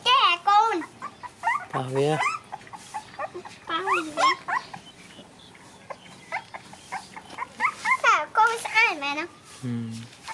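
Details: Playing puppies let out bursts of bending, whining yelps and a couple of deeper growly grunts, coming in irregular clusters with short quiet pauses between them.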